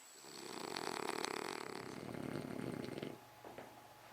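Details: French Bulldog snoring indoors, one long rough, rasping snore of about three seconds with a fluttering texture, fading out into quiet room noise.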